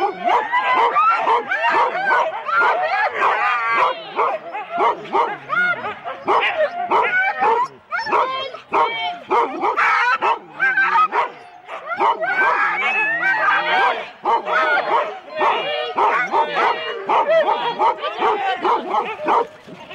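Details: Sled-team Huskies at a race start in Rendlesham, January 2016, recorded on cassette tape. Loud, continuous massed yelping and barking from many dogs, with short wavering howls and brief lulls around the middle.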